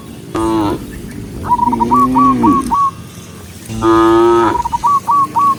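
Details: On a bright morning, cattle leaving the pen and running down a green hill toward grass moo in brief, full-toned bursts, one bending upward then falling away, between a bird's quick, hooked, whistled chirps at a steady pace.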